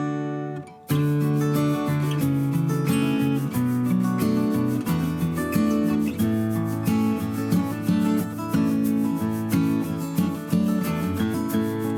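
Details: Strummed acoustic guitar music plays throughout, with no animal sounds.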